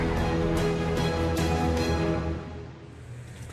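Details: Only music is heard, loud and sustained before fading to a quieter level after about two and a half seconds, with no animal sounds.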